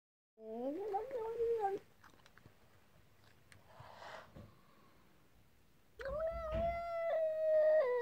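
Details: Unhappy talking cat giving a wavering, complaining meow, then a pause with faint rustling, then a longer, drawn-out, level meow at the end.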